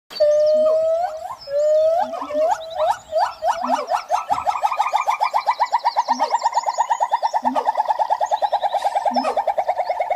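A siamang gives loud rising whoops that speed up into a fast run of ringing notes, with soft low booms.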